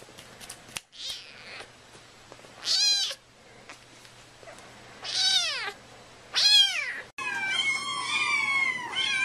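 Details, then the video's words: Meows of domestic cats, compiled to attract cats: several loud high arching cries at irregular gaps, ending in a dense overlapping run of wavering calls. "Meows to ATTRACT CATS"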